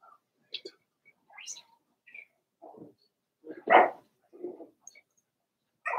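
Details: Daisy's four-week-old Cavalier King Charles Spaniel puppies in their indoor pen make scattered short yips and soft barks. A louder yelp comes midway, and the calls are spaced irregularly with quiet gaps between them.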